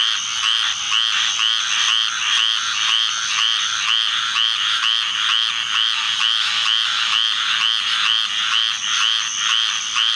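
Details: Summer thunderstorm season has squirrel treefrogs calling together in a large group; rapid, evenly pulsed raspy notes overlap continuously, about two a second, backed by a steady high insect buzz.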